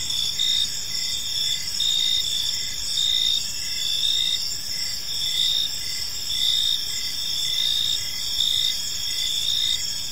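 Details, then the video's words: Crickets in a park at evening, shrill layered trilling with chirp bursts recurring about once per second, steady and dense, faint low background rumble. "Cricket Sounds in a Peaceful Park"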